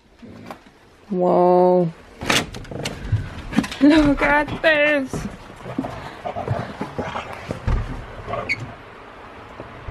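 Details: Huskies at play-wrestling give a flat, sustained harmonic yowl, then wavering, warbling grumbles with quick pitch wobbles, amid human speech, thumps and room noise.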